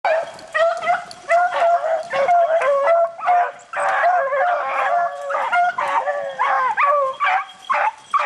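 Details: Several beagles bay while hunting rabbits in the rain, a dense overlapping chorus of drawn-out, slightly wavering howls and yelps, calls stacking and repeating almost continuously with short gaps between bursts.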